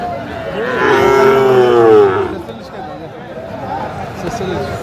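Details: Sahiwal bull calf at a cattle market in Chittagong, Bangladesh, on 22 March 2025, giving one long drawn-out moo that rises then falls, with people bargaining over prices in the background.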